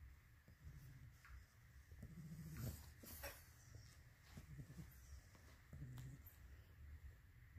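An English Bulldog puppy snores softly, with low rumbling breaths repeating every couple of seconds.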